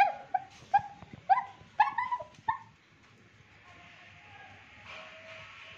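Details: A Pomeranian barks at the washing lady who arrived, seeing her for the first time: an uneven burst of shrill, sharp yaps in quick succession over a couple of seconds, then a faint thin whine.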